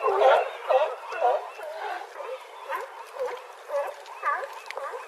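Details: California sea lions on a harbor dock at Crescent City, California, bark in hoarse, honking bursts of about two calls each second; the audio was filtered to remove wind noise.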